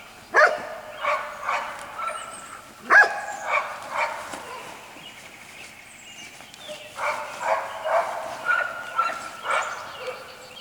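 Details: White Golden Retriever puppies, six weeks old, from parents Jelly and Gabe, give a few sharp barks early on, followed by a run of softer overlapping whines and yelps.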